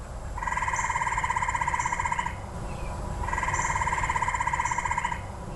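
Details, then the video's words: A gray treefrog calling around a house in the eastern US, a sound often mistaken for a bird: two loud, musical, rapidly pulsed trills about two seconds long with a short pause between; faint background hum. "So if you hear this, this is the gray tree frog, not a bird."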